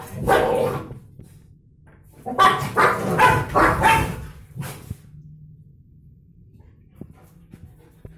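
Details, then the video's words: German Shepherd named Dodo fighting with a stray dog that sat on her bed; a sharp bark near the start, then a burst of rapid, harsh barking and growling for about three seconds, trailing into quiet thumps. "German shepherd fighting with stray dog"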